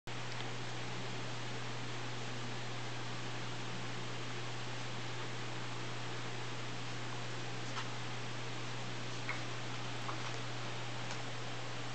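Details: Even hiss and a steady low hum, like a fan in a small room, with a few faint clicks; no animal sound.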